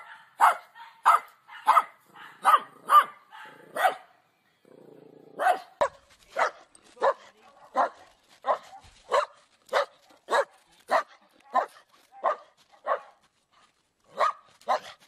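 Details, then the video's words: Dog barking again and again in a quick, fairly even rhythm of short, punchy barks with a brief pause near the middle, from a compilation of funny dog barking. "Funny dog barking videos compilation"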